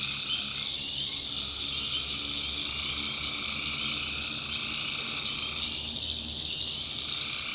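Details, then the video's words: A nighttime swamp in the North Carolina backwoods, full of tree frogs. The high, continuous massed calling never lets up, while a lower pulsing trill fades briefly near the end and comes back. "Relaxing Swamp Sounds at Night - Frog Heaven - Frogs, Crickets, Forest Nature Sounds"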